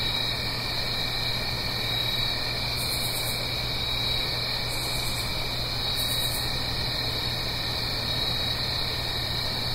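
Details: Crickets singing on an autumn night in the Blue Ridge Mountains, uphill from a stream: a dense, unbroken high-pitched chirring chorus in several steady layers, with three brief bursts of very high buzzing and a faint low steady hum beneath.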